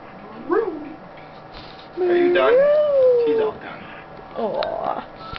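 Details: Maiya, a contented pet Schnauzer resting on a lap, lets out a long sliding whine that climbs then eases down, with short yips around it and a woman's voice talking softly.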